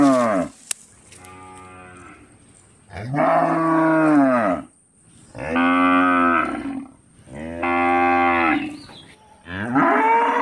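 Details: An Indian village cow (Bos taurus) gives long, deep moos that rise and then fall, one after another with short pauses.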